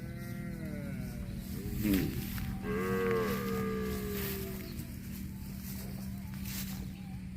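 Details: Cow eating grass lets out a drawn-out, slightly falling moo of about two seconds with a clear harmonic tone, preceded by a brief sharp knock, against a constant low hum.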